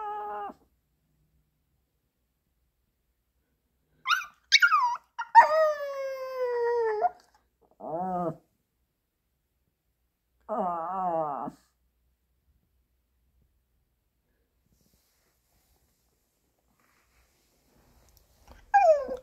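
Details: Left alone after its owner goes out, the Pomeranian Ponki cries like a wolf. A short whine, a pause, then a series of falling yelps flowing into a long wavering howl, two more shorter quavering howls, and a final rising cry after silence.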